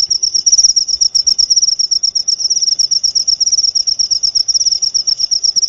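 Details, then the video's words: A cricket gives fast, high-pitched pulsed chirps strung together into a continuous ringing trill, loud and even throughout. "Suara Jangkrik"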